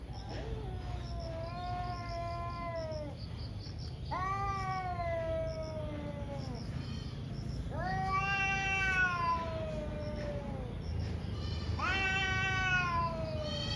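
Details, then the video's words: A pair of ferocious cats in a morning fight trade four long harmonic yowls, each swelling and sagging downward over two seconds, spaced about four seconds apart, with faint lower moans beneath and steady hum. "Cat Fights cat | Angry Cat caught on camera | gato briga com gato"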